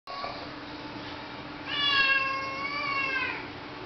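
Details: Domestic cat meowing insistently indoors, wanting to go outside while it is raining: one long drawn-out harmonic meow, rising then level, preceded by a faint short mew.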